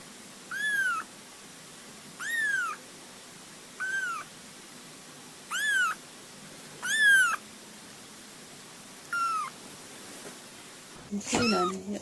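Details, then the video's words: Cat or kitten giving six or seven high, arched meows spaced about one and a half seconds apart, quiet between calls, ending with a burst of louder mixed cat vocalizing and noise. "Мяуканье котят,кошек, кота мяуканье Сборник HD. Kittens meowing,cats meowing Compilation HD."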